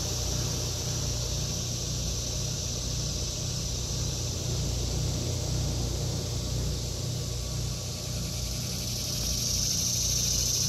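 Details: Cicadas in an August 2023 vegetable garden: a steady, high, hissing drone runs unbroken throughout, with a shrill whine rising near the end, over a constant low rumble like distant traffic.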